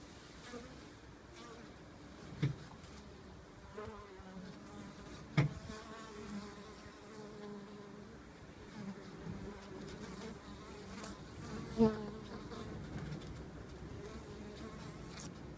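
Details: Honey bees at the entrance of an observation hive set into a window frame in early spring; a steady low hum with a few brief louder knocks and thuds.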